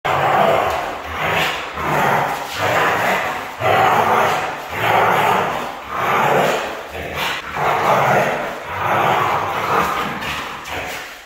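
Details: Red female Siberian Husky vocalizing nonstop in loud, rough, broadband bursts that rise and fall about once a second, each a grumbling howl-like yodel with short dips between them.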